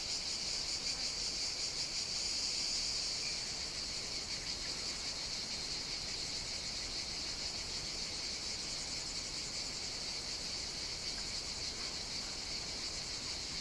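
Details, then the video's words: Chorus of cicadas on Evia, Greece, in hot summer weather: unbroken shrill buzzing, slightly louder and brighter during the first three seconds before settling to an even, sustained drone. "Cicadas Sing On the Greek Island of Evia"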